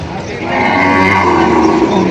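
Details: Heifers and breeding cows at a cattle auction in Padre Garcia, Batangas, July 17, 2026; one sustained, steady moo fills most of the moment, with buyers' voices and busy market clamour behind it.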